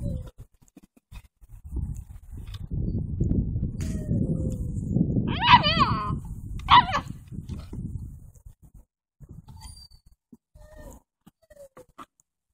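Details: Seven-week-old Doberman puppies romping outdoors on a fall afternoon; two short, high, wavering yelps rise out of steady low rustling and scuffling, followed by quieter scattered movement noises.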